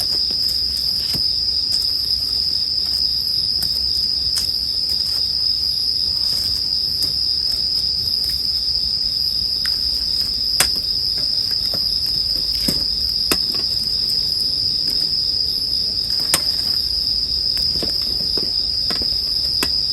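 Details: Bell cricket chorus forms an unbroken high-pitched ring beneath a burning campfire whose frequent sharp snaps and pops punctuate twenty seconds of sleep-time ambience.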